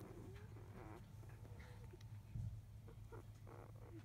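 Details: Litter of five-day-old Labrador Retriever puppies, field type, vocalising shortly after 1 pm as their mother has gone to eat; short nasal whimpers and soft squeals, with a louder grunt midway, above a steady low hum.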